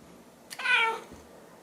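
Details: Silver tabby domestic cat looking up at a toy taken away from her, giving one short chirped meow with clear harmonics, rising then falling, lasting about half a second in a quiet indoor room.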